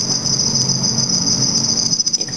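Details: Black field crickets (Teleogryllus oceanicus) under red light at night in a behaviour study of mating and aggressive encounters. A short burst of continuous high trilling, ending with a few quick ticking clicks.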